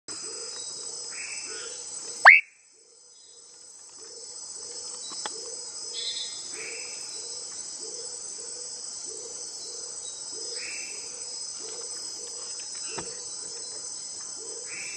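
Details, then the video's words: Leptodactylus rhodomystax, one individual in preserved forest near the Teles Pires River, Paranaíta, northern Mato Grosso, Brazil; old low-quality recording. Short, low, hollow notes repeat steadily about twice per second over a constant high insect whine, with a sharp knock early on. "Vocalização de Leptodactylus rhodomystax"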